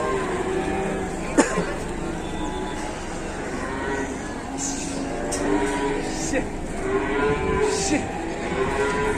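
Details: A herd of cattle riding an overloaded truck gives a string of overlapping moos, some short and some drawn out, with a sharp knock early on and a constant engine drone.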